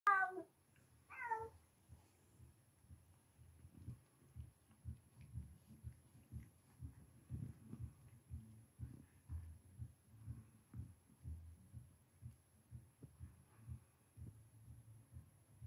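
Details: STORM, an F5 tawny Savannah cat, feeds and grooms her two-week-old kittens sired by a silver smoke Bengal. Two high, bending mews open, then a soft, low, rhythmic pulsing like purring continues steadily throughout.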